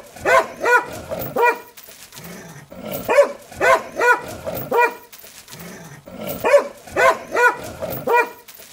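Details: Angry dog barking in tight bursts of three to four sharp, harmonic-rich barks, each burst separated by a short pause, three bursts in all, with faint background hum between them.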